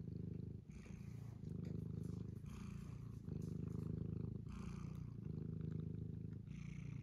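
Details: Purring from Mustard, a farm cat in County Kilkenny, Ireland: close, deep, even vibrating rumble, broken briefly once near the start, with soft rustling above.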